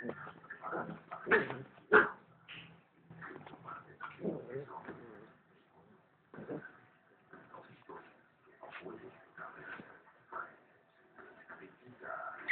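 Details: Female pit bull, rescued from the streets two years earlier, under attack by another dog: irregular high whimpers and sharp yips in uneven bursts, mixed with human voices talking over the scuffle.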